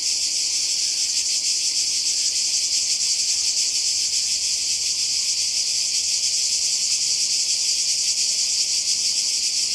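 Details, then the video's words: Cicadas singing in summer 2020 by the Croatian sea: a continuous, intense high-pitched rasp with quick regular pulsations and no other clear sounds. "Kroatien Zikaden und Meer"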